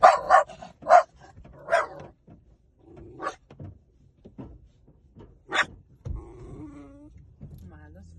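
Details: Puppy yapping in a quick cluster of high barks at the start, followed by scattered quieter yips and one loud bark near the middle, then a low rumbling, growl-like tail with background murmur.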